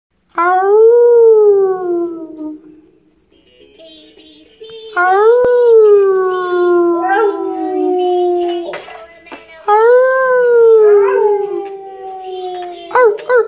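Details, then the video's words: Marvin, a pet pit bull, howls along as his owner sings into a mic: three long wavering howls, each rising then sliding slowly down, with a muffled thump and quieter gaps between them. "Singing with my Pitbull."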